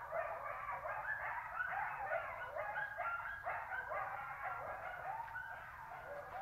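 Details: Wild wolf pack chorus at night beside a lake, recorded on a cellphone less than 100 m away at the tail end of the howling; dense overlapping wavering howls and yips sliding up and down, continuous throughout.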